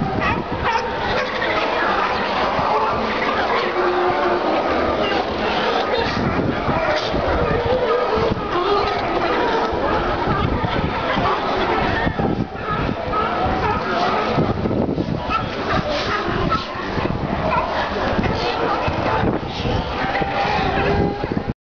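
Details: Crowd of sea lions at Pier 39, the San Francisco tourist spot, in a dense, unbroken din of overlapping hoarse barks and honks. The noise stays loud throughout, with no pauses.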